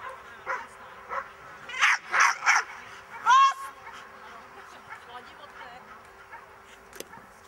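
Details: Miniature English Bull Terrier in a defence training lesson gives a burst of three rapid, rough barks followed by a higher, strained yelping bark, with a human voice talking quietly in the background.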